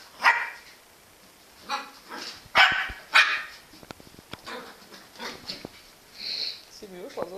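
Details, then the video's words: Engy, a Jack Russell Terrier, gives short sharp barks at irregular intervals, four louder ones in the first half, softer yips later, with people talking in Portuguese in between. "Engy Jack Russel Terrier"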